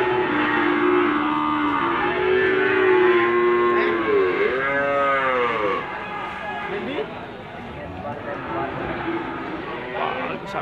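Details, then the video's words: Limousin cattle at the Gondanglegi livestock market, Malang, East Java, 12 February 2020: overlapping moos, some rising and falling in arcs, several animals calling together before the sound fades into market chatter. "Pedetan Sapi Limosin Mantul"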